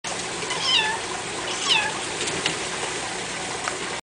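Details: Domestic cat meowing because it wants to be let in; two short, bent meows about a second apart, followed by quieter sounds, all over a constant hissing background noise.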